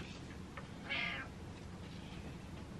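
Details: Pet cat Butters meows to demand the lights be switched on, objecting to the dark: one short, bright, slightly wavering meow lasting about a third of a second, surrounded by quiet indoor hiss.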